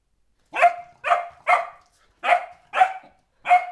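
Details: Sophia, a four-month-old springer spaniel puppy in a crazy mood, barks six times in quick succession: three rapid yappy barks, a short gap, then three more.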